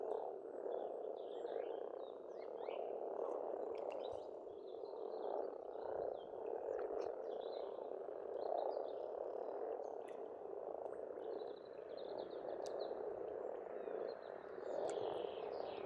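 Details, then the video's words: Spring frog chorus at a pond on an Estonian farmstead: a dense, continuous croaking mass that swells and eases over sixteen seconds, while birds sing thin, chirping phrases high above throughout. "Расслабляющее пение птиц и лягушек, весна, природа."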